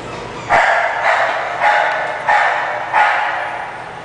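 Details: English bulldog giving five loud, rough barks at a fairly even pace of roughly one every 0.6 seconds, each bark fading quickly, over a faint constant hum.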